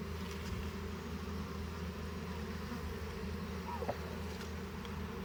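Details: Hive of honey bees being harvested for honey: a continuous deep buzzing drone, unchanging in level, with a brief clink of equipment near the end.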